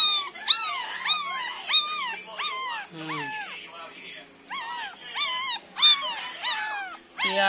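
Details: Nine-day-old Pomeranian puppies cry in thin, high squeals that rise and fall, over and over.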